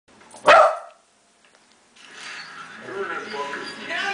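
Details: Franklin, a pet Corgi and Cairn Terrier mix, reacting to the Silence of the Lambs character Buffalo Bill: one sharp, loud bark early on, then a pause, then a person talking to the dog over ongoing background sound.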